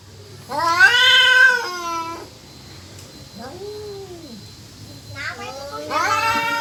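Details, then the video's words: Cats caterwauling, whether courting or about to fight: one loud strained wail, then quieter falling moans, and a fresh rising howl building at the end. "KUCING MINTA KAWIN APA MAU BERANTEM...?"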